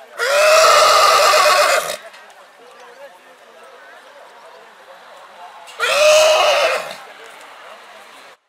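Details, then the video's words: Purebred horse neighing in spring: two loud, harmonic, quavering whinnies, each about one to one and a half seconds long, separated by about four seconds of quiet with low background hiss. "CABALLO PURO RELINCHANDO"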